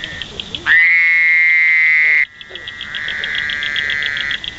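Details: Wild male Fowler's toad calling up close in Indiana: a loud, nasal, buzzy drone that rises briefly, then holds steady for about one and a half seconds. A second, quieter buzz follows, over a fast, steady pulsing chorus in the background.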